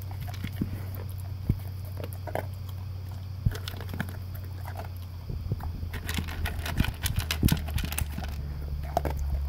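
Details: English cream golden retriever, a male, eating Taste of the Wild dry food for breakfast from a blue slow-feeder bowl with concentric circles; sparse crisp crunches early, then a dense burst of rapid crunching and kibble clatter, over a steady low hum.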